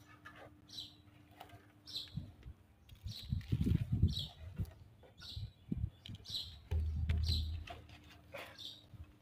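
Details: Tabby kittens hidden by their mother Ckay in an odd spot, stuck behind something: thin, high mews repeat in quick succession, with rustling, handling bumps and low thuds as they are reached.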